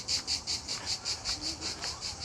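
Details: Cicadas sing all day at a family campsite near a lagoon: a dry, high-pitched rasping song pulsing rapidly, about five times a second.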